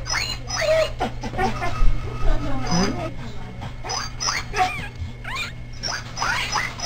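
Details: Newborn Clumber Spaniel pups in their first few hours, being resuscitated and fed for the first time, give thin rising and falling squeals and whimpers in quick irregular bursts while people talk over them.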